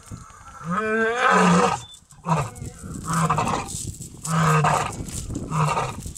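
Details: Huge white lion seen during a safari game drive. One moaning call at the start, followed by a series of short, deep grunts spaced roughly a second apart.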